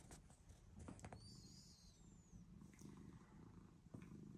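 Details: Domestic cat purring after coming up to a person: a steady low rumbling purr with fast pulsing, plus brief clicks and a thin high whistling tone midway.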